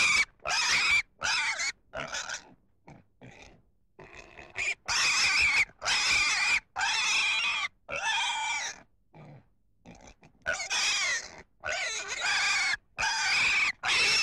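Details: Pig giving a run of loud, harsh squeals, mostly high and broadband, in bursts of about half a second to a second separated by short pauses, with a few quieter grunts between them.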